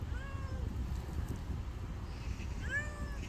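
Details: Nameless husky-voiced neighbourhood cat, out again once the rain stopped, gives two drawn-out, slightly falling meows about two and a half seconds apart over a steady low outdoor rumble.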